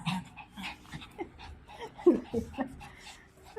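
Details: Shih Tzu dogs at play, giving a run of short, clipped yips and whimpering squeals in quick bursts, mixed with panting, indoors, with a voice talking faintly in between.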